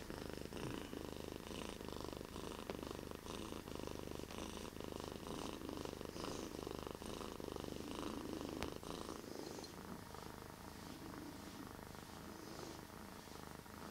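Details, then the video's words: Bear, a pet cat, gives a long, deep, rumbling purr, pulsing with each breath, then softening near the end. "Bear deepest purring cat ever"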